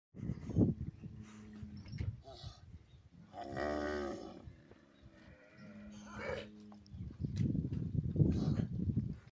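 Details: Nelore beef cattle on a farm, calves being separated for identification; deep drawn-out lowing moos with rich harmonics, several calls overlapping, with people's voices and shuffling between calls.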